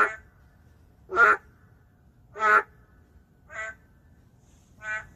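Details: Endangered narrow-mouthed frog heard in an urban area: four separate buzzy, nasal croaks about one to one and a half seconds apart, the first two louder, the later two softer and more distant.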